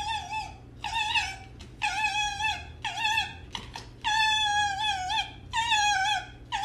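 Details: Captive pet red fox making a run of loud, whiny, harmonic cries. Each lasts around half a second to a second and is repeated at a steady pace, often bending down at the end. There is a faint constant low hum indoors.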